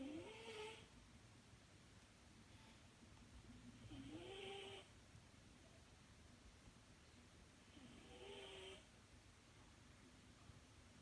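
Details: Sleeping British Shorthair cat snoring softly: three quiet breaths roughly every four seconds, each a faint rising wheezy tone with a hiss, over a low steady background hum.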